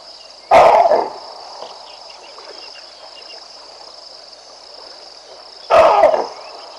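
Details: Baboons bark at a passing lion, Vincent, walking down the Olifants River; two abrupt, rough barks roughly five seconds apart against a continuous high-pitched insect drone and quiet bush background.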